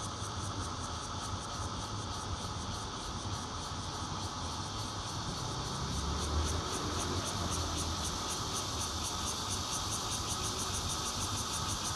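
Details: Bear cicada in Zhongli, Taiwan, recorded 16 June 2013 from a fourth-floor home using a Nokia Lumia 820; its intermittent song is a loud, rasping buzz whose rapid pulsing strengthens after six seconds, set against a low hum of road traffic.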